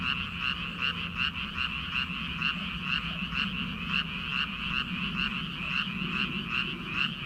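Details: Many frogs croaking together in rice paddies in early summer, before rice planting. A dense, continuous chorus of pulsed croaks, about two or three per second, with a steady low rumble underneath.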